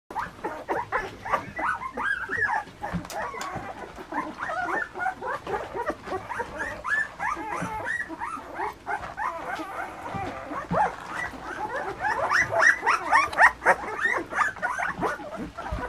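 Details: Litter of puppies almost two weeks old, a dense chorus of overlapping high, squeaky whines and yelps that rise and fall in quick succession without pause, growing busier toward the end.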